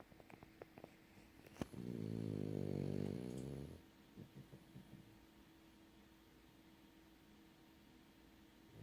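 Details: Sleeping French bulldog gives a single deep, buzzy snore lasting about two seconds, followed by quiet breathing and faint room noise.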